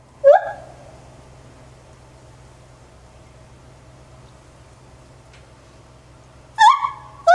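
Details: A 9-year-old male white-handed gibbon (Hylobates lar) at Maruyama Zoo, recorded 27 January 2014, calls with loud, clear whooping notes that sweep sharply upward in pitch.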